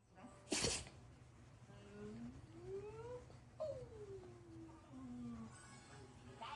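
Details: Toy poodle named Colon sneezing nonstop after pepper was sprinkled on ramen nearby: one sharp explosive sneeze near the start and another at the very end, with gliding musical tones and soft background sounds in between.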